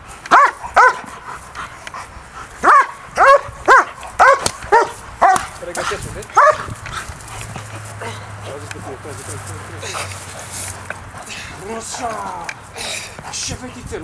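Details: German Shepherd Briska of DDR lines in an early bite session aimed at keeping focus on the agitator; a quick run of ringing barks for about six seconds, then people talking over background noise.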